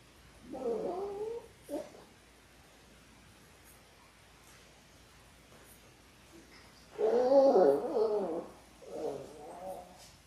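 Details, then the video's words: Labrador Retriever puppies in their sixth week, a litter of six born January 18, 2022, recorded on February 28: two drawn-out, wavering whines rise and fall in mid pitch, each followed by a shorter whimper, separated by quiet. "6 Adorable Labrador Puppies in their 6th Week!"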